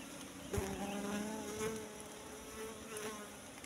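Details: ['Asian honey bees (Apis cerana) buzzing at a wild nest found in bushes, opened for its honey; a steady low hum with layered tones, a brief knock near the start, faint rustling throughout.']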